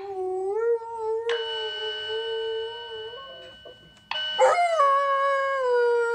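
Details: An Alaskan Malamute howls during a yearly fire alarm test: long, sustained tonal howls holding a steady pitch, a short break, then a rising, wavering howl again, with the alarm's electronic tone overlapping.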